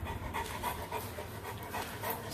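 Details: Large St Bernard puppy at day care trying on a Superman hat and happily wagging its tail, panting in quick, rhythmic breathy bursts throughout, with soft background noise.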